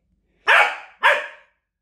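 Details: Pet dog indoors, one of two dogs named Doby and Blue, playing a blanket game with a wrapped toy: two sharp, loud barks about half a second apart, each fading quickly, in a quiet small room.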